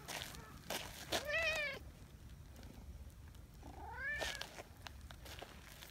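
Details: Nyahha, a brown tabby community cat, fawning intensely for attention, gives two drawn-out meows, each rising then falling, about two and a half seconds apart, amid rustling and light footsteps.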